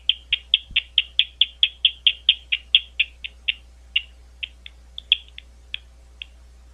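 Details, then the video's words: Bats calling at Gwynne Conservation Area, an Ohio State University reserve outside London, Ohio: a fast train of short, sharp, chirpy pulses, about four per second at first, then growing sparser and more irregular toward the end. "Bat Calls at Gwynne Conservation Area"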